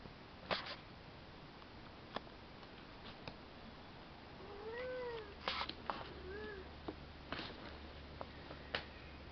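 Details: Seven-week-old male kitten playing with a new toy gives a soft, short meow with a rising-falling arc near the middle, then a second fainter mew, amid scattered clicks and rattles of the toy and handling noise.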